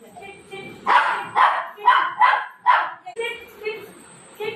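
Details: Golden retriever dog playing with mom at night before sleep, giving five short, harmonic, mid-pitched barks about every half second after a quiet start, with faint human voice and a thin high electrical whine in the room.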